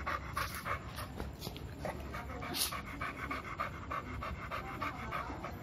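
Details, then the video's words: Fast, steady breathy panting from Milo, a two-year-old American Bully who wants to play, each huff short and raspy in a quick even rhythm. "AMERICAN BULLY WANTED TO PLAY"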